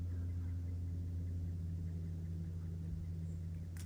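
Steady low engine hum and rumble, like an idling vehicle, with no animal voice audible.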